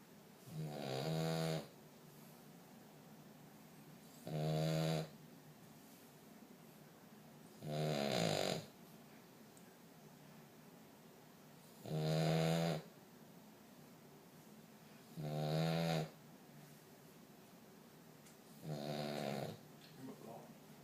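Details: A 5-month-old male French Bulldog puppy snores loudly during his nap, with slow, regular rasping breaths about one every three to four seconds.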